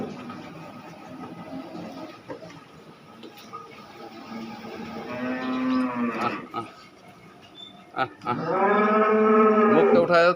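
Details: Cow in Khulna, Bangladesh, a second-calving dairy animal giving about 37 litres, lowing twice with long throaty moos, the later one louder and sustained, over a steady low hum with soft knocks.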